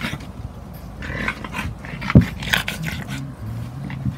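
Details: Two Boston Terriers, a 4-month-old puppy and a 4-year-old adult, wrestling, nipping and tugging in play: low rumbling growls and scuffling noises with one sharp thump, plus brief human speech.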